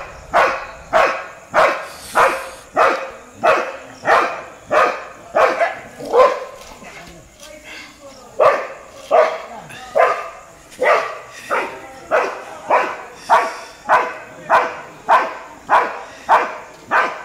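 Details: Street dogs barking at a Labrador: loud, rapid barks repeated more than once per second with a brief lull near the middle, then a steady run of sharp barks resumes to the end.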